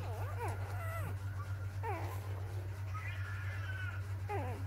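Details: Four-day-old puppies from a litter of six let out a few wavering, high-pitched whines in short bursts separated by pauses, over a constant low hum.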